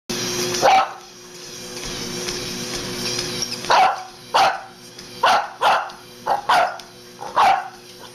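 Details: Boston Terrier barking while exercising on a treadmill: one sharp bark, a pause, then a run of six short, punchy barks about half a second to a second apart over a steady mechanical hum from the machine.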